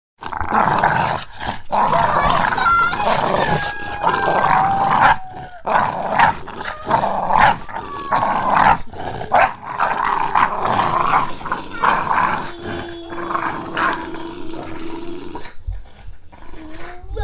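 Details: An English Bulldog playing tug-of-war growls and snorts in rough, rumbling bursts, broken by brief high whines.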